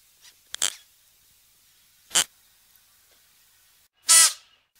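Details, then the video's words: Klipspringer giving three short, harsh, sneeze-like snorts spaced over about four seconds, the last one loudest and longest, with quiet pauses between. "Odgłosy i dźwięki jakie wydaje Koziołek skalny"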